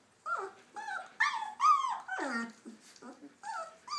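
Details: High whining squeals from puppies learning to walk, each cry bending down in pitch. Roughly eight irregular whimpers follow one another, some longer and sliding lower, in a quiet room.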